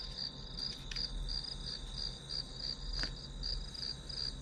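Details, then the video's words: Shrill pulsed chirping of grass insects, played as white noise while studying, with the rhythmic trill continuing over a low hum. Two short sharp clicks break in near one and three seconds. "풀벌레 소리"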